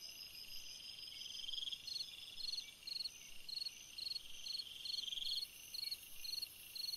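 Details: Summer-night cricket song: a steady series of short, high, pulsed chirps repeated about every half second throughout, with a continuous insect hum behind.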